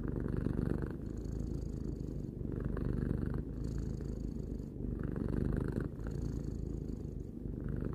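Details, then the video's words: Domestic cat aged three purring calmly indoors, a thick rumbling drone pulsing with its breathing every two seconds or so, short quieter gaps between phases, no other noises. "Cat purring"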